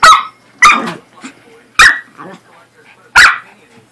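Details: Playful barking from a corgi and a Pomeranian at play: four sharp, bright barks spaced roughly a second apart, with faint snuffles and small noises between them.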